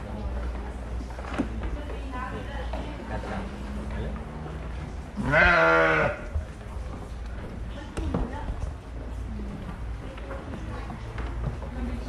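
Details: Fluffy sheep giving a single loud, wavering bleat about midway, a harsh quavering cry lasting roughly one second, set against a steady low murmur of background noise and faint distant voices.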